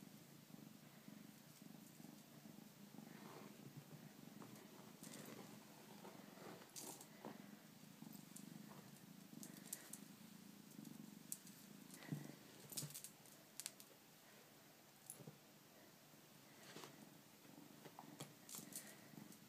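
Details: Close, continuous low purr from a Bengal kitten, rumbling in even waves throughout, broken now and then by light taps, rustling and handling noises.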